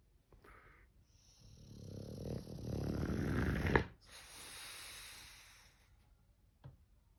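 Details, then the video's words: Snoring English bulldog: a long, rough inhaled snore that swells over about two seconds and ends in a sharp snort, then a softer breathy exhale and a small click. "Funny snoring english bulldog!"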